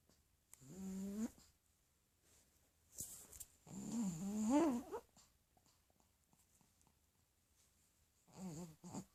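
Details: A sleeping pug snores in low, wheezy rasps: a short snort, a longer rising rattling breath, then another brief snore near the end, separated by quiet gaps and a faint rustle.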